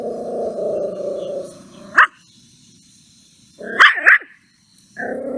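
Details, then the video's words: An angry puppy growling and barking at a stranger: a low, rumbling growl, then one sharp bark, a quick double bark, and the growl starting again. "angry and barks at strainger"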